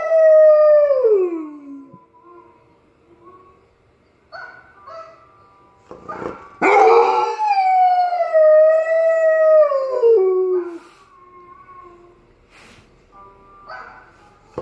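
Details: Irish Setter singing along to dog singers, giving long harmonic howls: one sliding downward, a pause with soft whimpers, then a loud sustained howl that wavers and falls away, followed by quieter faint tones.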